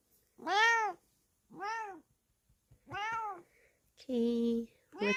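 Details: Kokoa, a Bengal cat, replies to being called by name with a series of clear, arched meows rising then falling, spaced about a second apart, followed by a steadier flat-toned cry near the end.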